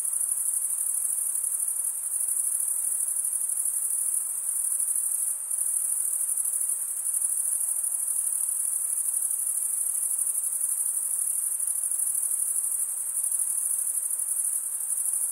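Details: Chorus of crickets, chiefly males chirping by stridulation with their wings, forms an unbroken shrill ringing trill that holds level for the whole stretch, dipping only briefly near the middle.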